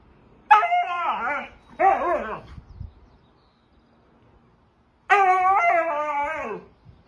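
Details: Husky howling in a wavering, yodel-like voice: two rising-and-falling drawn-out calls, a pause of about two seconds, then a longer third howl that bends upward and slides down at its end, with rich harmonics.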